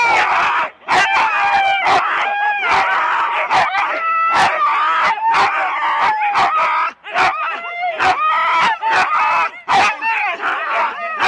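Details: At a January 2016 sled start in Rendlesham, four-dog Husky teams keep up a loud, continuous clamour of high yips and quavering whines, punctuated by sharp clicks and knocks from the equipment.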